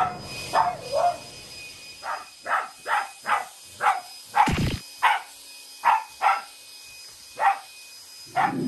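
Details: Shiba Inu barking in a run of short, sharp yaps, about a dozen spaced under a second apart, at a vacuum cleaner; its owners treat the show of hostility as affection rather than anger. Faint domestic background hum.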